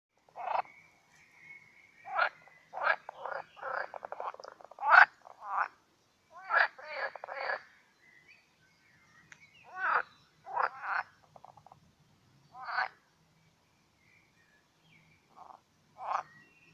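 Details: Pool frogs (Pelophylax esculentus) croak in bursts of rapid, rattling pulses, the males' mating chorus during their mating ritual.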